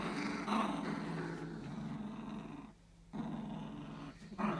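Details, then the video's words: Playing fox red Labrador Retriever puppies aged three weeks make a near-continuous throaty growling rumble, broken by one short quiet gap, inside a small room. "Fox red Labradors 3 weeks old playing"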